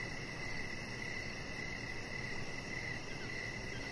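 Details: Outdoor evening chorus of crickets by a deck, a chihuahua puppy lying nearby: faint rhythmic chirps running on without pause over a constant high buzz and low background hum.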